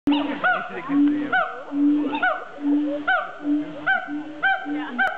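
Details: Siamangs at a zoo giving a loud run of calls: short steady low hoots, each followed by sharp, bright upswept notes, repeated about once a second in an uneven rhythm.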